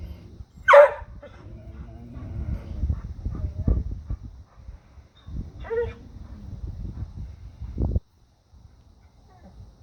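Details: Dogs barking at a deer: two short, sharp barks, one near the start and another midway, over a steady low rumble and scattered thumps.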